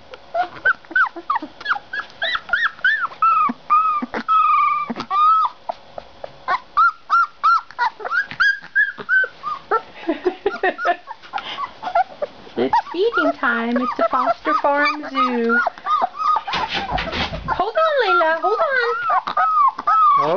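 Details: Puppies at feeding time whine and yip in a dense chorus: rapid, high whimpers rising and falling in pitch, overlapping cries from several pups, a burst of louder squealing and some clatter near the end.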